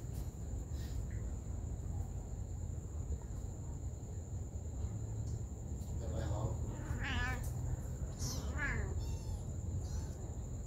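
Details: Mother cat tending her baby kittens; after six seconds of low rumbling background noise, a few short wavering meows rise in a cluster near the end, partly overlapping faint voices.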